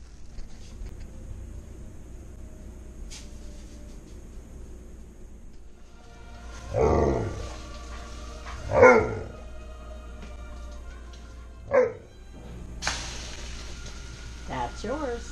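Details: Tonka, a pet dog in a home kitchen while French toast is being made, gives three short harmonic, wavering woo-like vocalizations a couple of seconds apart, the second loudest, over a low steady hum with faint music.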